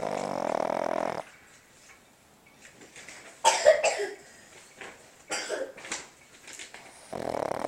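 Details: A sleeping female Boston Terrier snores loudly at night, in long, rasping, droning breaths broken by snorty snuffles.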